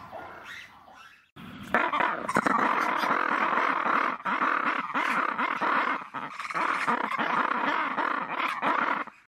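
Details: After a quiet start, red ruffed lemurs (Varecia rubra) erupt into a loud, harsh, braying scream chorus of rapid pulsing bursts for several seconds, with only brief pauses before fading out.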